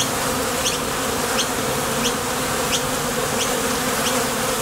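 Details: Honey bees at the entrance of a Top Bar Hive, leaving and landing as they go to the field for nectar: a steady, dense buzzing hum with a low drone, and faint short high chirps recurring roughly every 0.7 seconds.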